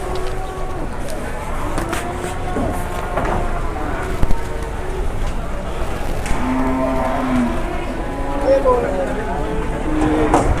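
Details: Jumbo cattle at an Indonesian livestock market, restless and slightly rampaging; low, drawn-out lowing rises and falls over about two seconds amid crowd chatter, voices and general market bustle.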